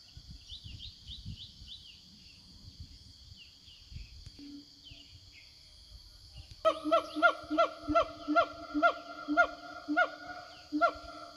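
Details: Siamangs roaming a forest, answering one another while calling their companions; after quiet bird chirps and a steady insect drone, loud harmonic hooting notes start suddenly, repeating about twice per second in a regular series.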